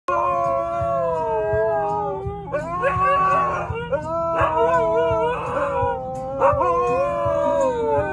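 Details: Labrador howling alongside two Huskies: sustained, wavering harmonic howls overlapping throughout, gliding and bending in pitch, with several voices layered together and brief rising yelps between long tones.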